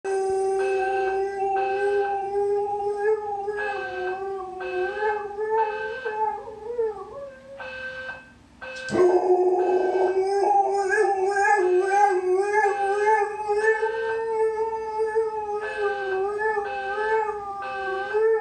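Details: Malamute howling along with a beeping fire alarm indoors; long wavering tonal howls slide up and down, with regular short electronic alarm beeps sounding repeatedly underneath and a sudden loud burst midway.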